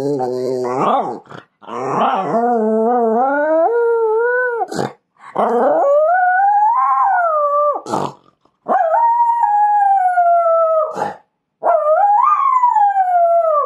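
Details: Jack Russell Terrier described as naughty, howling: sustained tonal howls that slide up and down in pitch, several long notes separated by short pauses, ending with a falling wail.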